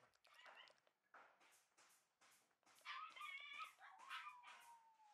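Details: Two Shiba Inu puppies, a red male and a white male bred for dog shows, giving high, thin whines and short yelps, with a long falling whimper toward the end; faint background voices.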